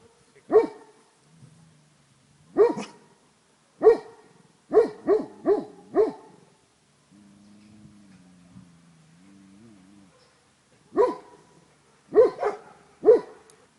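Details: Tornjak dogs Lord and Sika Vala Liburna from Rečica, recorded 31 July 2011, giving deep, loud barks in short bursts, a run of five quick barks near the middle, a low droning hum between barking spells.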